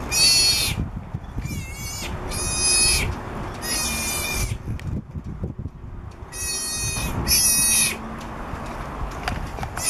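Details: Southern sea otter pup about three weeks old, on a boat in Monterey, California, calling for its mother: six loud, shrill, harmonic screams, each under a second, in two bursts with a pause between, over low background rumble.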